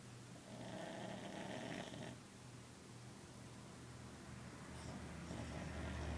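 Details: Pet dog asleep, giving one long buzzy snore of about a second and a half, then softer breathing over a steady low indoor hum.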